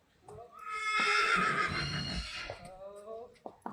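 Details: Friesian horse during a photo shoot whinnies loudly: a bright, high, strained cry held about one and a half seconds, then a lower trailing nicker, with Dutch voices nearby.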